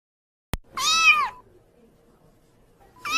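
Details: White kitten meowing: a sharp click, then one full arched meow rising and falling, followed by quiet and the start of a second meow at the end.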